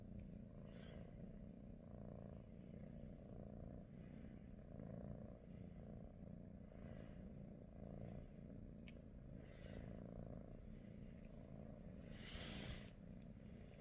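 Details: British Shorthair cat purring on a morning at home with the cats Pikachu, Teddy and their niece Rosie; a steady low rumbling throb runs throughout, with soft breathy rustles and brief higher hisses near the end.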